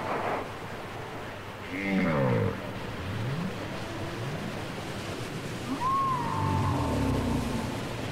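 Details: Whale song from a cassette recording: a cluster of rippling, harmonic-rich units slides downward, followed by a few low swooping sounds. Later comes a clear high whistle that rises and then falls, with low rumbling and a soft hiss throughout.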